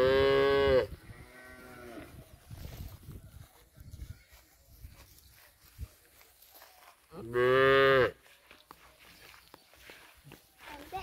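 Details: Punganuru cattle, pocket-size mini cows kept at a goshala, give two loud harmonic moos, each under a second long and about seven seconds apart, with murmured voices and rustling in between.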